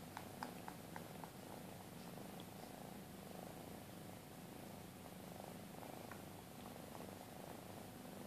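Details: Purring from a Maine Coon mother and her two-month-old kittens at a breeder's; continuous low pulsing rumble with a few light ticks early on.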